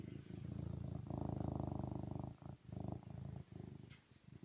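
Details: Rapidly pulsing, coarse purr of a serval, rising into a fuller rattling stretch, then breaking into shorter bursts with brief pauses.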